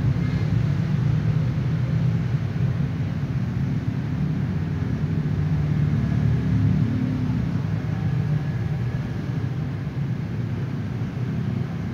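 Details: Deep rolling rumble like a passing vehicle or aircraft dominates, with low-frequency noise swelling and fading and no animal sounds.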